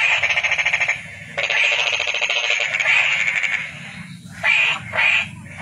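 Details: Toad calling with fast pulsed, buzzy trills: a one-second trill, a pause, a longer two-second trill, then two short bursts near the end.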